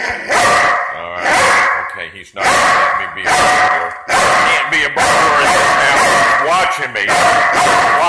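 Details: Belgian Malinois police dog guarding a front door during a mock burglary, barking in dense, nearly continuous volleys while a person talks at the same time.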